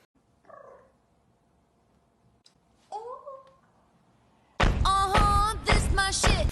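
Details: Ariel, a caracat described as the first shorthair Maine Coon, gives two soft, brief wavering meows, then a loud, harmonic-rich run of drawn-out calls over the final two seconds.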